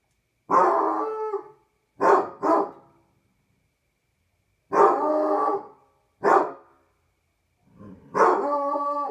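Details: Basset Hound howling on a patio at night: six harmonic bursts in nine seconds, some sustained baying notes up to a second long, others short yelping pairs. Background quiet.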